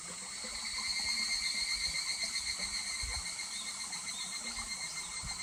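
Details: At Kuragari Pass in July, a higurashi cicada trills near a babbling stream. Bright, high-pitched pulses rise and fall in even waves, with flowing water steady underneath.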